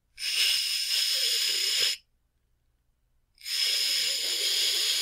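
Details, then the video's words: Angry cat hissing: two long, harsh, breathy bursts of about two seconds each, separated by a clear silent pause. "Cat Angry Sounds | Cat Snarling, Cat Hissing, Cat Moaning | Angry Cat Sounds"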